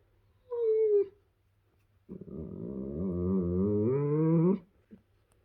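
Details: A young male German Shepherd makes pleasure noises while being cuddled: a short high whine, then a long, wavering, grumbling howl that climbs in pitch.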